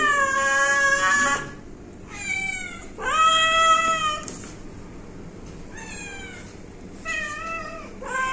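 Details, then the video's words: A domestic pet cat mews repeatedly, about six meows spread over eight seconds. Some are long and loud, others short and softer, each with a curving pitch and strong overtones. "आमच्या म्याऊ😻 cute cat video😻"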